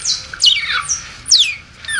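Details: A hungry newborn smooth-coated otter, about to be bottle-fed milk, repeats shrill squeals that drop quickly in pitch, four in two seconds, some with a brief buzzy edge.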